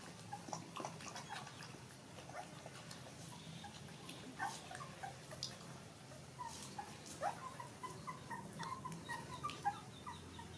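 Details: Newborn puppies suckling milk from their mother dog, standing up as they feed; soft, high, brief squeaks and whimpers scattered throughout, some overlapping, over a low steady indoor hum.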